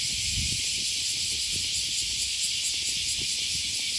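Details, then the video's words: Unbroken high, sizzling cicada buzz on a riverside morning walk in Osaka near Sakuranomiya Park in August, over low rumbling and scattered footstep thuds. "Walking along the river, with the voice of a cicada"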